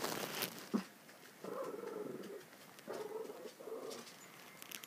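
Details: Minchie, a very old female Shih Tzu and Pekingese mix, demanding a bigger bed and someone to sleep with; soft low moaning whines in three drawn-out bursts, with quiet indoor room noise.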